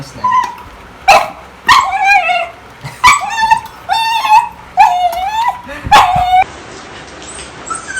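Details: Pet beagle in the Philippines vocalizing: a run of sharp yips each sliding into a high, wavering whine, repeated about every second, then a hissing background at the end.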